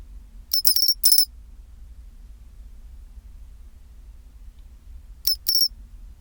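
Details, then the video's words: Pine cricket singing its chinchirorin song at 24 °C: two bright, ringing high phrases, each a short chirp followed by a longer tinkling trill, about four seconds apart over a low steady hum. "チンチロリン Sound of pine cricket"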